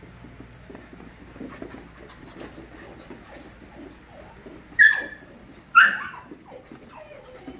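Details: Group of 5-month-old puppies at play, low scuffling and soft whimpers through most of the stretch, then two sharp high yips near the end.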